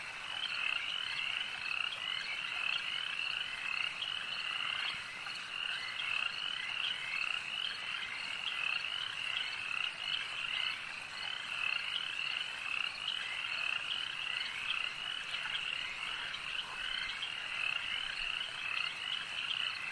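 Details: Loud, steady chorus of frogs at a lake, countless rapid pulsed croaks blending into a bright continuous trill, with regularly recurring emphatic notes punctuating the wall of calls throughout.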